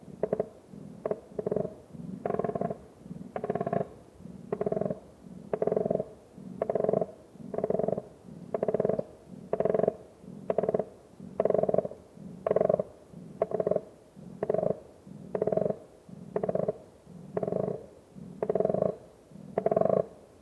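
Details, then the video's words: A koala in the Australian bush gives deep, rasping, snore-like grunts, repeated about once a second in a steady rhythm. "What sounds does the Koala make?"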